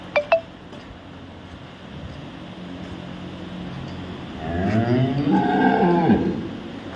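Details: Dairy cow at a farm in Samora village, Karnal district, Haryana, India: after two light clinks and a low hum, a loud moo begins at four seconds, rising then falling, with a hoarse, drawn-out tone.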